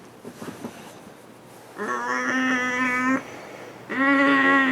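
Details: Pet dog indoors, excitedly showering its owner with affection, gives two long, steady, drawn-out whining vocalizations, the first about a second and a half and the second shorter, over quiet room tone with faint soft noises before.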